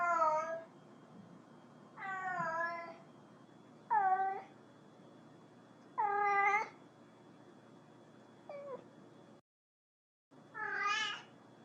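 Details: A cat calling another cat utters six meows of varying shape, some rising and others falling, one short and soft, spaced unevenly with a brief dropout into silence before a final bright call.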